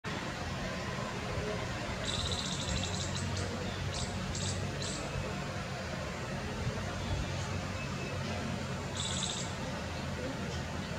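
A squirrel gives a few quick bursts of high, sharp chipping notes, then one more burst near the end, over a steady low rumble of background noise.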